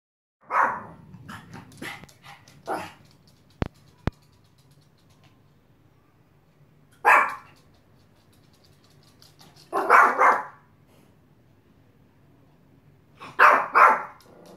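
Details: A Yorkshire Terrier gives sharp, high-pitched barks in short bursts with pauses between volleys after a door slams shut in the wind, 16 June 2016.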